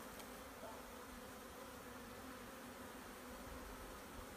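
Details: A collected honey bee swarm producing an even, unbroken low hum that holds steady throughout, with no other clear sounds.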